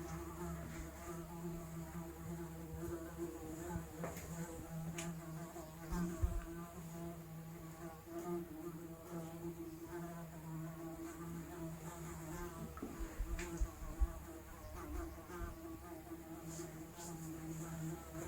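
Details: Raw analog recording of a fly humming steadily for a long stretch, its low buzz carrying many wavering harmonics that shift up and down, with scattered light clicks and knocks throughout.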